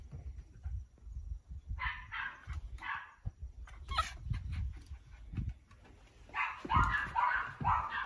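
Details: Yoichi, a tricolour male Cavalier King Charles Spaniel born in 2019, from Fukuoka, Japan, gives cat-like cries at the peak of excitement during play: two bursts of nasal, meow-like wavering calls separated by clattering and shuffling noises.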